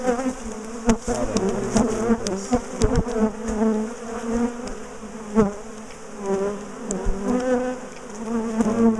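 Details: A big, defensive honeybee colony being dismantled and moved from a top bar hive in a garden; a dense buzz of many bees with wavering, sliding tones as they fly close, mixed with sharp knocks from handling the hive.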